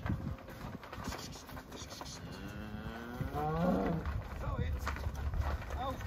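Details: Cattle let out to pasture for the first time in spring. A drawn-out, low moo rises and swells through the middle of the recording over steady outdoor rumble and trampling noise.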